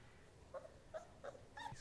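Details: Five-week-old Basset Hound puppy, the biggest male of his litter, giving four short soft whimpering squeaks spaced about a third of a second apart, faint against a quiet indoor background.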